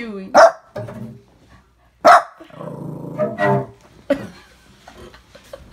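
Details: A Shih Tzu puppy barks at cello practice, giving sharp, high barks spaced a couple of seconds apart over bowed cello notes. Shih Tzu.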